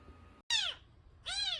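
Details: Nursing kitten under a month old, found crying at the gate of a house, giving two loud high meows that bend downward, each about a quarter second long, separated by a short pause, over faint background hum.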